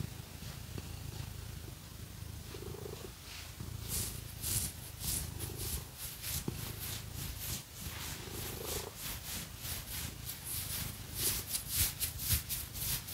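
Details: Pet cat purring as it is scratched with fake nails; a low continuous rumble with soft breath swells runs underneath, while rapid hissing scratch strokes begin partway through and grow denser, no voices.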